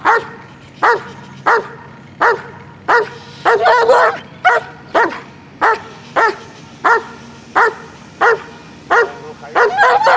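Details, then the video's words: Aggressive dog, described as not playing, barking sharply and repeatedly, roughly one bark every 0.7 seconds, each short and harmonic, with a few overlapping bursts midway and a low background hum. "WARNING! This Dogs NOT playing! Dangerous Stuff!"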